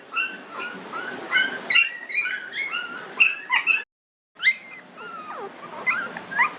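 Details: Newborn puppies at 19 days old whining and squeaking in a steady stream of short high calls, a momentary gap, then longer drawn-out wavering whimpers.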